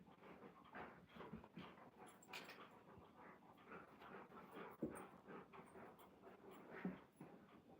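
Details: Indoors at home, Alaskan Malamutes roll around and wrestle, giving low grunts, breathy pants and brief whimpers in uneven bursts about twice a second, with scuffling and a person's voice urging them to be nice.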